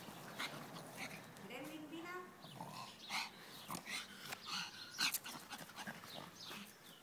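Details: Gremling, a Petit Brabançon dog, playing: thin rising and falling whines and squeaky vocalisations, followed by a run of short noisy snorts and grunts, with faint human voice in the background.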